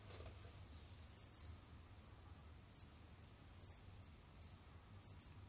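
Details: Captive Jamaican field crickets (Gryllus assimilis) kept as pets; sparse high chirps, mostly double pulses, arriving about once per second after a quiet opening, with low background hum.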